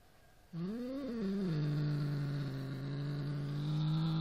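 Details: A Siamese cat growls low and long at a toy rat, its voice swelling briefly before settling into a steady rumble.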